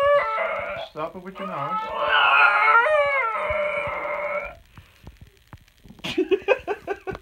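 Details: A female basenji sings along to a recording of her own yodel in long, wavering, sliding tones, then gives a run of short yelping bursts.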